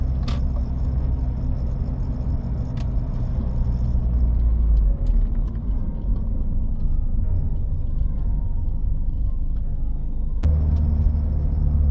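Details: Deep, steady engine rumble from a road vehicle fills the recording, broken by a few sharp knocks, with no animal calls.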